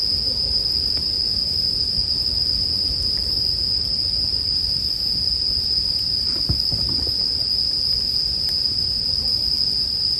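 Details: High, sustained ringing of bell crickets carries on without a break, joined by the low hiss and intermittent crackles of burning wood, with a brief cluster of louder snaps past the halfway point.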